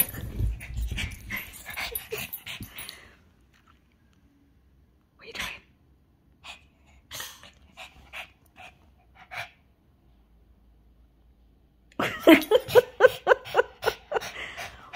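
A Shih Tzu barks in scattered yaps, then breaks into a rapid, high-pitched burst of repeated barking.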